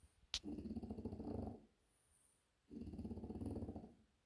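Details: French Bulldog snoring loudly: two long, low, rattling snore breaths, each just over a second, separated by a quiet pause of about a second, with a sharp click just before the first breath.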